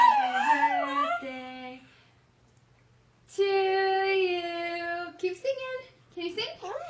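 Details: Dexter, a pet pug, howls along indoors while a woman sings Happy Birthday to Jeremy; long, held tonal notes with wavering pitch, a brief silence, then a steady sustained howl followed by short rising and falling yelps, blended with human singing.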